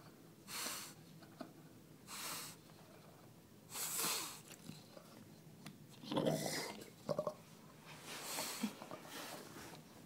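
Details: Bill, a pet bulldog indoors, makes breathy, bubbling wheezes like someone hitting a bong, in loud bursts about every one and a half seconds, with quieter snorting in between.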